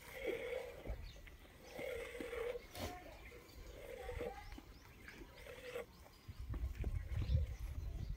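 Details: Morning milking time, a goat calls out for milking: four short nasal bleats spaced about every one and a half seconds, each a brief wavering blare, followed by low rumbling and handling sounds.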